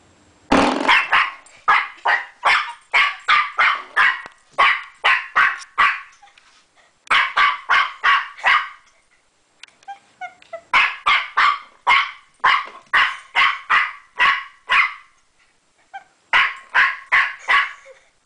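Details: Puppy playing with a door stopper, yapping in quick runs of sharp, high barks, several per second, broken by short pauses before starting again; nothing else clearly heard.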